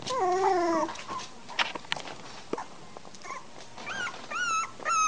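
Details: Three-week-old American Bulldog pups, recorded 27 March 2008, give long wavering whines that slide downward at the start, then scattered clicks and brief yelps, ending in rising, whistle-like squeals over a faint low hum.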